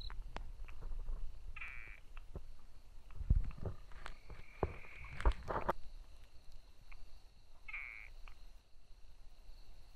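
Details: Brauer's tree frog calling: two short, harsh, buzzy bursts near the start and end, with a fainter drawn-out note midway, over low rumbling and scattered clicks outdoors.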